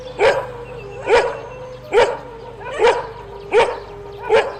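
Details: Single dog gives six loud, evenly spaced barks, one slightly under a second apart, over a low steady background hum.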